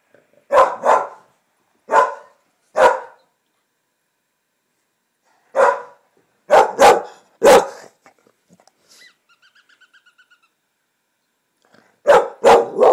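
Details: Finnegan the English Springer Spaniel barks at coyote sounds coming from a computer: spaced single barks, then a quick run of three, a quiet stretch with faint electronic calls, and a final cluster of barks.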